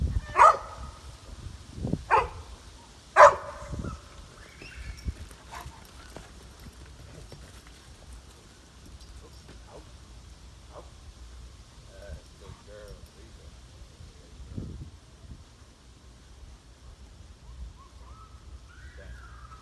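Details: Eight-month-old Cane Corso being worked in a training session: three loud, sharp barks within the first three and a half seconds, then quieter scattered noises and faint voices for the rest.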